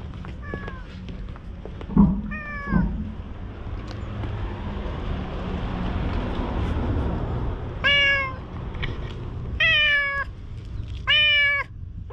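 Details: Stray cats at a seaside fishing spot in Japan, filmed on a GoPro: several harmonic meows, the first ones faint and short, then three loud drawn-out ones about every one and a half seconds over steady low rumble.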